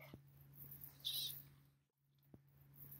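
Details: Western banded gecko, a small nocturnal lizard of the Mojave Desert, vocalizing: one short, high, breathy squeak lasting about a quarter second, over a steady low electrical hum and faint clicks.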